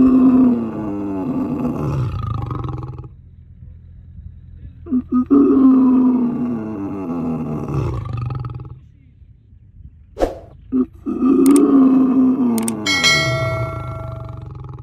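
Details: Captive lion in a zoo producing long, deep roars that swell and fade in low rumbling waves, with short grunts between them and brief clicks and a faint tone near the end.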